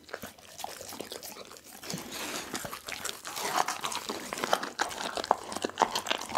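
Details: Pit bull Dougie working through a whole chicken, bones and all, recorded close on an Insta360 ONE R: quiet gnawing swelling into dense, rapid crunching of bone, about two bites a second, in a small indoor room.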